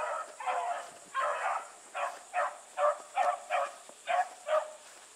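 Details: Bluetick Coonhounds running together with a dog named Sassy, baying in the distance: a string of short harmonic bays, about eight bursts roughly every half second, over a steady high insect-like hiss.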